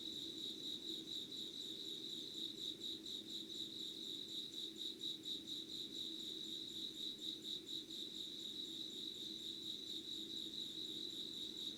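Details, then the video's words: Dawn insect chorus, 25 August 2019, 5:00, Yugawara in Kanagawa, Japan, filmed beside a candle: unbroken shrill pulsed chirping throughout, rhythm slightly uneven, with a quiet low rumble underneath. "Sounds of insects with candle light.☆ろうそくの灯りと虫の声"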